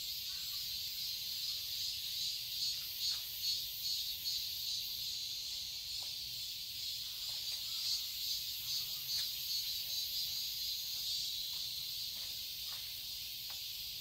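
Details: Summer cicadas in a garden in Seoul, South Korea, keep up a high, even, buzzy shrill with soft regular pulsing, while scattered brief clicks and faint chirps dot the background throughout.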